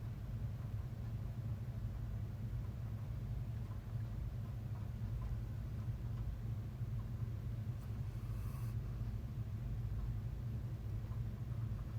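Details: A steady, deep, engine-like rumble fills the whole stretch, with a brief faint hiss near the end and no distinct animal voice.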